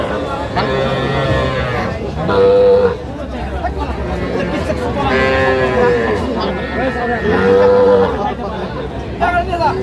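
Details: Sahiwal bull calves and heifer calves for sale at a Dhaka cattle market, 3 August 2025. Three clear, bending moos come a few seconds apart, each a rising then falling bellow, over steady talk from buyers and sellers.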